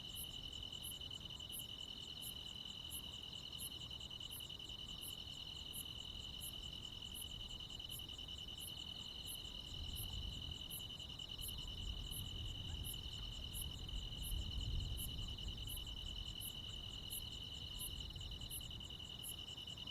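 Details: Countryside crickets and other insects on a midsummer night, a continuous shrill trill with crisp high ticks recurring roughly three times a second, over a faint low background hum that swells slightly midway.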